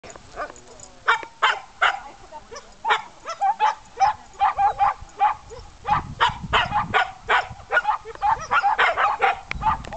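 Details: Four-month-old Samoyed puppy barking while learning sheep herding, rapid sharp yaps repeated about two to three per second in uneven bursts, some overlapping, with faint low background rumble.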